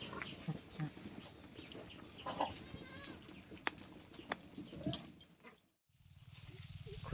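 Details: Domestic goat on a stall-fed and semi-stall-fed goat farm, giving a short bleat amid a man talking in Marathi, with rustling, brief clicks and a lull before a low rumble at the end.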